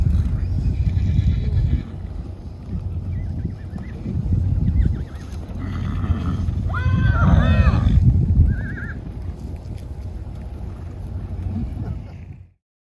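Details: Thundering hooves of a running wild horse herd on a protected preserve. Heavy hoof rumble swells and fades while a couple of looping, quavering neighs rise above it midway, then everything cuts to silence.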